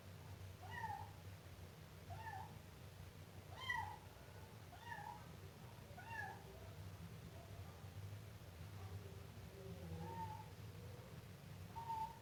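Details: Siamese kitten meowing about eight times, strong arched cries early, then softer, quieter mews later, with a steady low hum throughout.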